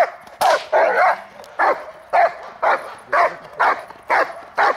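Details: Hunter, a dog descended from Congo Vikar, practising the hold and bark during protection training on May 19, 2020: loud, harsh barks roughly twice a second, somewhat uneven in spacing, the first burst longer and broader.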